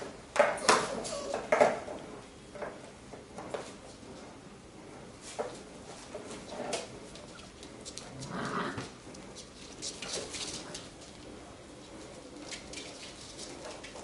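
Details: Labrador Retriever puppies from a B litter playing together, relaxed and fooling around indoors; a couple of short, high squeaky yips early on, then scuffling, scratching and clattering as they tumble.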